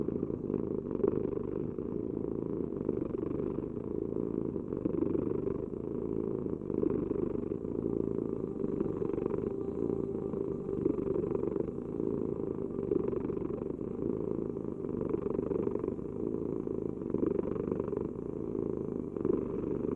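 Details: Long, steady cat purr: a low vibrating hum rising and falling in a slow rhythm with the animal's breathing, close and clear, in a quiet setting.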